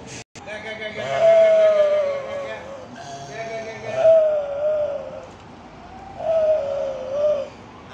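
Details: Goats relaxing and playing nicely; three long, wavering, harmonic bleats, each over a second long, follow one another at intervals of about two seconds against a quiet background.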